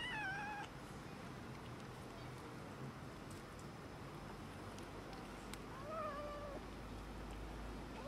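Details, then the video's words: Cats and a kitten quarrelling over food indoors: a short wavering meow opens the recording, then after a long quiet stretch of faint clicks and rustling a second, slightly longer meow rises and wobbles before trailing off. "Cats and kitten quarrelling over food"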